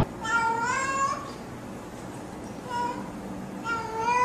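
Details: Domestic cat greeting with three meows: a longer rising one first, then a brief chirp, then a third rising call, over faint room noise.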